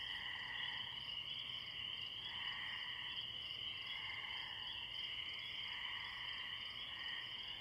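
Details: Spring peeper frogs calling from a distance in a pond by a tree, with crickets behind: a dense, unbroken high chorus of overlapping peeps, with lower trilling swells rising and fading every second or two.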